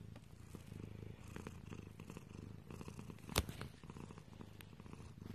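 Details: Close, low rumbling purr from a domestic cat, rhythmic and continuous, interrupted briefly by one sharp tap or knock partway through.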